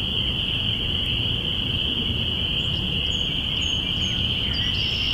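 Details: A dense chorus of spring peepers, recorded April 5, 2017 in binaural audio, blends their high peeps into one steady, ringing drone marking the beginning of spring.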